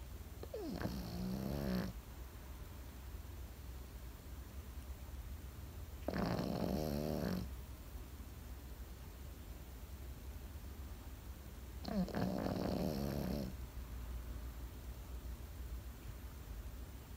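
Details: Pekingese dog asleep, snoring in a steady cycle: three rasping, buzzy snores each lasting over a second, spaced roughly every five to six seconds, with quiet breathing and a low room hum in between.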